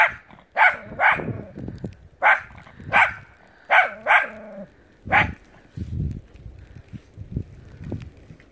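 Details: Dog barking while playing in snow: loud, clipped barks roughly every second, a brief whine midway, then softer huffing sounds and rustling as the barking trails off.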